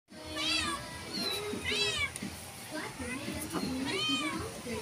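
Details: Domestic cat meowing indoors, three clear high, arching meows, each rising then falling with bright harmonics, spaced about one to two seconds apart; faint background hum and a soft voice.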